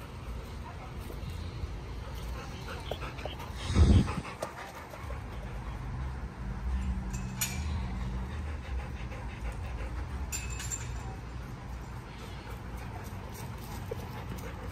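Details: Hutch, a Golden Retriever, pants softly in soft, rapid, breathy bursts over a low background rumble. A sharp loud thump lands near the four-second mark, and brief clicks follow later.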